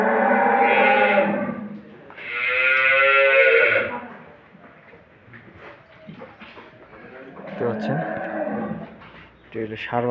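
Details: Holstein Friesian dairy cattle on a farm in Setabganj, Dinajpur, Bangladesh: two long, strongly harmonic lowing calls of one to two seconds each, separated by a short pause, followed by a man talking with music underneath.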